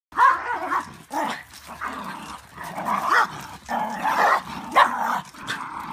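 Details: A Welsh Corgi growls and grumbles in rough bursts while play fighting with another dog in a dispute over rank, which a black dog tries to break up.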